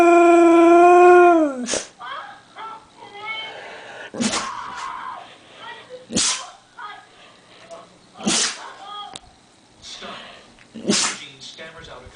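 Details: A Siberian husky howling in the morning to wake everyone for breakfast, having missed its allergy pill, gives a short, sliding howl, then breaks into a string of loud sneezes.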